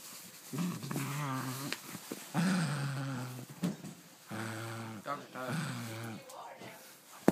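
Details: Dog playing with its new toy inside a small room, giving warbling, grumbling growl-moans in four or five drawn-out bursts with quivering pitch, a person's voice faintly mixed in.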